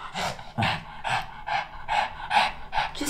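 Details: Jjanga, a black Shih Tzu, in cold winter while refusing to wear new clothes. Pants in rhythmic breathy bursts, roughly every half second, with a short sound at the very end.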